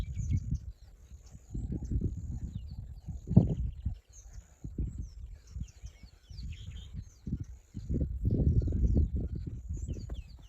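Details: Lionesses fighting over food in Kruger National Park, South Africa, 2024, one killing the other: deep, rumbling growls and snarls in irregular bursts, swelling sharply near three seconds and again toward the end, with faint bird chirps high above.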